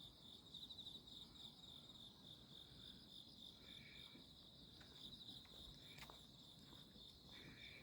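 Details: Insects calling on a midsummer night, 11 August 2025, heard while walking through grassy alleys under moon and stars: a steady high shrill trill with a pulsing texture, joined by short, lower buzzy bursts near the fourth and seventh seconds. The background is quiet.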